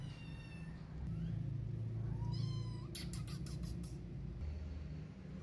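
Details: Kitten pestering its mother cat for milk while she ignores it: thin, rising mews, one drawn-out and climbing in pitch, over a steady low hum, with a brief burst of sharp, scratchy noise midway.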